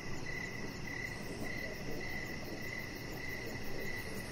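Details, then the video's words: Crickets chirp in the evening outside by a deck with a chihuahua puppy lying on it; short high pulses repeat at an even pace of about two per second over steady low ambient noise. "Chihuahua Puppy Laying On Deck with Cricket Sounds"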